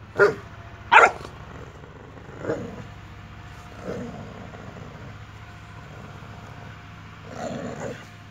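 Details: Boxer puppy and grown Boxer at play: two sharp barks close together at the start, then scattered quieter woofs and a low growly murmur over a constant low hum.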